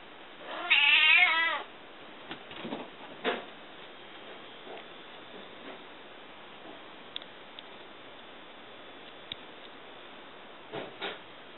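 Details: House cat greeting an arriving visitor whose car it recognises; a single loud, quavering meow early on, then scattered soft taps and clicks in a quiet room.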